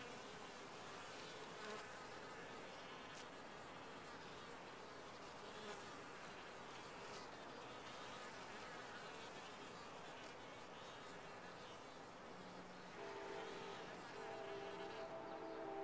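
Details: Many honey bees in a top-bar hive keep up a continuous even buzz, and near the end a few faint tonal hums rise above the massed wingbeat drone.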